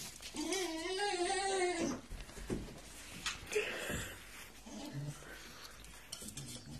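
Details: Hank, a one-year-old Staffordshire bull terrier, impatient indoors while waiting to go for a walk, gives a drawn-out wavering whine lasting over a second. Softer short sounds, clatter and a man's voice talking to him follow in a small room.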